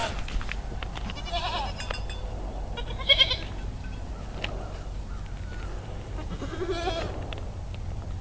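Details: Baby pygmy goats near Fort Smith, Arkansas, bleat in short, wavering cries over a steady low rumble of background noise.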